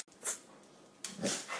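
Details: Pet dog, either Gia the cane corso or Deuce the bullmastiff, during an indoor trick session working for food: two soft, breathy huffs about a second apart, like panting or sniffing, in a small quiet room.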